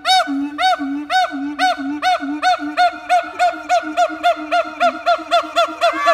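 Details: Siamangs at Taronga Western Plains Zoo sing a rapid series of loud, arching hoots over a steady low, humming tone.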